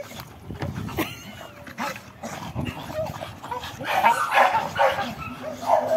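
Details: Dog in Brazil persistently jumping to catch a tire, giving several short barks and yips that grow louder and more frequent in the second half, with thuds and rustling in the background.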